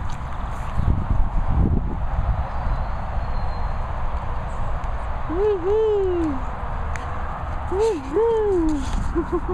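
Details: Young English Bull Terriers Badger Bailey and Princess Poppy, at a licensed training and boarding kennels in Worcestershire countryside, jumping up. After an excited woman's cheering, two drawn-out squeaky whines rise then fall, followed by short higher squeaks.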